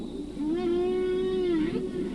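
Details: Male humpback whale singing off Baja, Mexico, where only males sing, probably while seeking a partner; a single sustained, smoothly wavering tonal moan with rich harmonics, rising slightly then dipping near the end, lasting about one and a half seconds.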